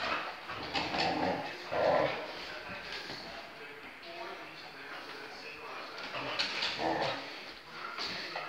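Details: Border Collie, happy and wagging its tail after play, gives short high whimpering yelps near the start and again later, with a person talking throughout in a small indoor room.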